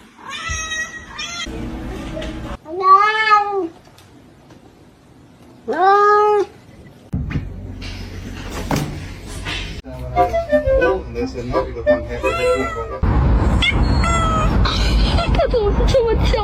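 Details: Three clear, loud kitten meows, each arching up and down, spaced about three seconds apart; then talking, background music and clattering take over, with a few fainter meows mixed in.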